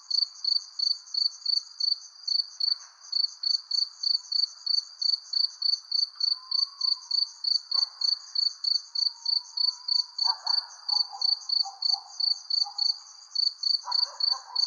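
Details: Crickets chirp steadily at night, high and pulsing, about three chirps each second.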